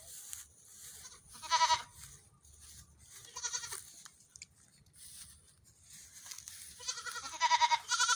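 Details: Goat kids running about in the morning bleat repeatedly: a sharp quavering cry early, a softer one midway, then a burst of loud, rough, overlapping bleats at the end over low background noise.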